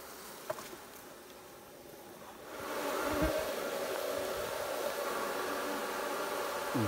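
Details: Bees during beekeeping work: after a quieter opening, a steady droning hum swells up and holds as a low, continuous buzzing tone, with a few soft knocks in the background.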